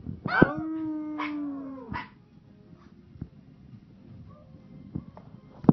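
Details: A Pomeranian gives one drawn-out low howl lasting over a second, then falls quiet, leaving low background rumble and a few faint clicks and yips.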